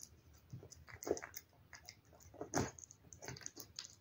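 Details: Cat eating wet food: a few wet gulping bites and smacking licks, with one stronger mouthful near the middle, over quiet indoor background.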